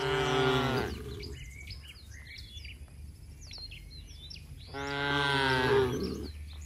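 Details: Tame village cattle returning to the shed and calling to herd mates: two harsh, strained moos several seconds apart, with busy bird chirping and twittering filling the gap between them.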